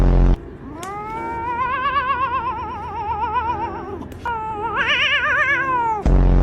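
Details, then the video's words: A cat gives two long, drawn-out yowls with a strong wavering vibrato. The first lasts about three seconds and holds steady; the second rises higher before fading. Low background music plays throughout. "FUNNY Cat Sounds!"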